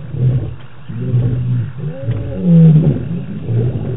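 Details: Lions roaring at night in wild African bush on a live camera, 25 March 2018; low rumbling moans build into one louder drawn-out roar near the middle, with softer grunting rumbles before and after.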